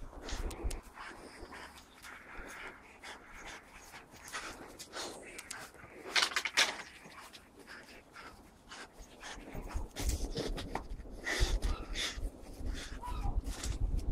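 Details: English Springer Spaniel Captain Jack, dashing about a garden gathering leaves, breathes in rapid rhythmic huffs through the clip, mixed with rustling and occasional heavier bumps from his movement.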